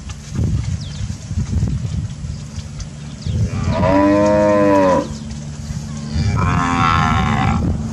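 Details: Brahman cattle heifers on their Sabah grazing ground: low background rumble, then a strong moo lasting about a second, followed by a second, higher, slightly hoarse moo running to the end.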